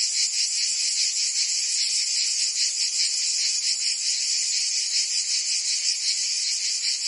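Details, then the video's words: Summer chorus of cicadas in Provence, France, heard as an unbroken shrill, hissing buzz with a subtle pulsing texture throughout, steady in volume from start to finish, with no birds or people audible. "Cicadas singing in France (Provence)"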